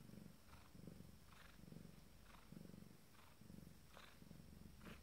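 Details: Abyssinian cat with her first litter, minutes before giving birth; soft, low rhythmic purring in pulses about once a second, each breath a throaty rumble, steady and quiet throughout.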